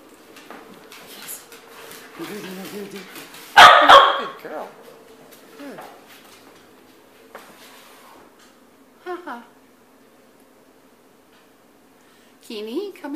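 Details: Pet dogs indoors in the morning, a female called a good girl: quiet whimpering, then one loud sharp bark, then soft whines, with a person speaking to the dogs and faint household sounds.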